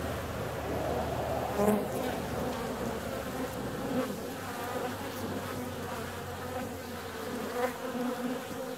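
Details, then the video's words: Bees out flying on a warm February day, a dense droning hum with a low fundamental and stacked overtones, individual insects swelling and fading as they pass close, over a faint low rumble. "Bee's out on a warm February day."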